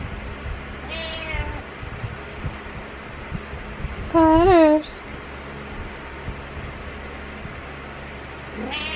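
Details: Butters the male house cat meowing in the morning: a soft meow, then a loud, clear rising-and-falling meow, and a short rising meow at the end, over a steady low indoor hum.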